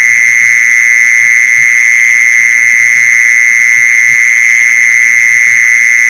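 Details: Mole cricket call played to lure mole crickets, a continuous shrill trill holding one high pitch without pause, over soft, irregular low knocking sounds.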